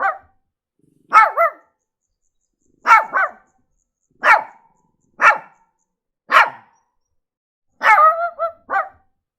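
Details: Barking Shih Tzu with tonal, somewhat yelping barks, single or doubled, spaced about a second apart, including a drawn-out, wavering bark late in the sequence.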